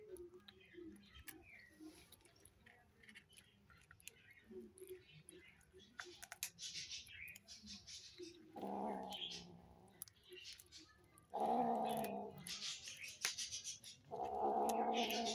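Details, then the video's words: Hungry kittens making noises while they eat: soft clicking and smacking for the first seconds, then three loud, harsh, harmonic growling bursts of about a second each, separated by short pauses. "Hungry kittens make noises when they eat"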